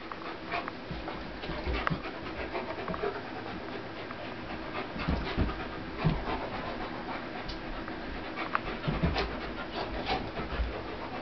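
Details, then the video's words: Two dogs, a 75-pound pitbull named Corona and a 150-pound German Shepherd named Warlock, play fighting; steady rough panting and breathy huffs run throughout, with scattered soft clicks and knocks. "Dogs play fighting"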